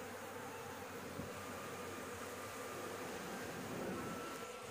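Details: Honey bees buzzing at their nest on a house roof as the honey is taken. A thick, unbroken hum with rough low rumbling beneath, louder toward the end of the short stretch.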